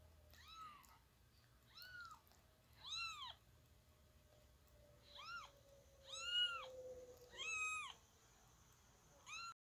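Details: Baby kitten meowing: seven high, arched mewing calls, each rising then falling, spaced about one to two seconds apart, with a faint steady tone in the background.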